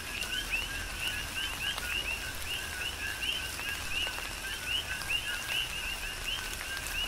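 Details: Coqui frogs on the Big Island of Hawaii call through tropical rain, each giving a low note then a bright upward chirp, several callers alternating in quick succession over a steady wash of rain.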